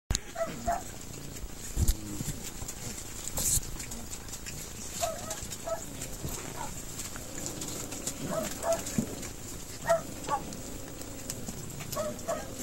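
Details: Cream-coated male mixed-breed puppy, 53 days old, born 20 July 2014, recorded on 11 September in Gifu, Japan: short, high, thin whimpers in scattered bursts, with rustling and handling knocks over a steady background hiss.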